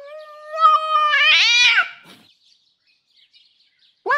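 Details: Enraged female domestic cat Jasper gives a long steady yowl that swells and breaks into a harsh, rough squall before fading, then a brief rising cry starts at the very end.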